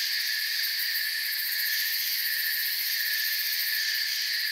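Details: A forest cricket chorus: continuous high-pitched trilling stacked in layered bands, holding at a constant level with no pauses and no other noticeable sounds.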